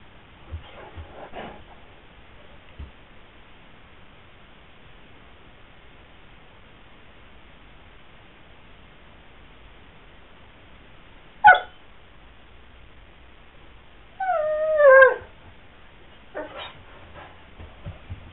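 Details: Indoor whining from Sweety the Pyrenean Mastiff, eager to join the gardening outside; long quiet stretches broken by a sharp click and one drawn-out, wavering whine that bends downward.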